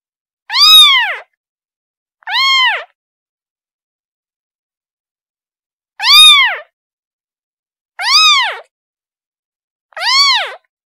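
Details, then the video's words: A kitten cries out for its mom with five clear, arching meows in uneven spacing, two close together, a four-second silence, then three more about two seconds apart; clean recording without background noise. "Kitten Sound Calling Her Mom"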